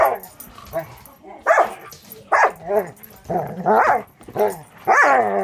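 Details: A young Border Collie mix, six months old, fostered by a Wisconsin rescue, barks during play with another dog; five or six loud, harmonic barks follow one another about every half second, with faint human speech mixed in.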